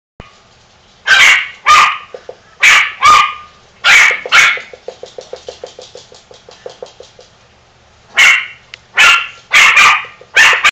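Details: Two pet dogs barking at a third dog, wanting to play with her while she sulks over a new collar; sharp bark bursts in quick pairs and triplets, a rapid run of softer yips in the middle, then more loud barks.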